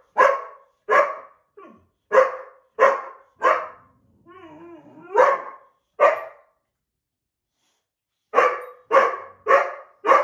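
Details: Two dogs, a white boxer and an older black Lab mix, quarrel over a window seat, the boxer upset at losing it. Repeated loud barks come roughly every half second, broken by a brief whine and growl, then a fresh volley.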